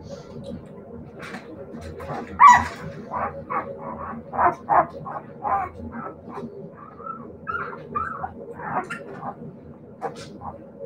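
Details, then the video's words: Siberian Husky puppies giving quick repeated yips and small barks over a steady low hum, then a few drawn-out whining notes toward the end, with voices faintly underneath. "siberian husky puppies"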